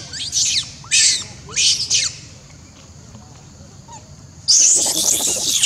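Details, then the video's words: Little monkey screaming in fright after being badly bitten by another monkey: three short shrill bursts, a quiet stretch with faint sounds, then a long, loud, harsh outburst of high screams at the end. "Beving crying loudly scare"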